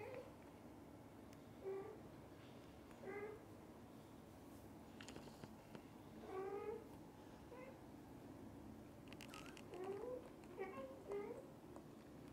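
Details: Domestic cats, a father beside the mother and kittens, meowing: about seven short rising meows scattered across the stretch, a few paired close together near the end, with soft low-frequency room noise throughout.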